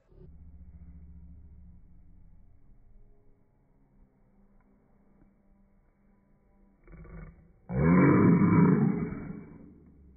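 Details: Lion roaring: a low, quiet rumbling hum for the first seconds, then near the end a sudden loud, deep, rough roar lasting about two seconds before fading.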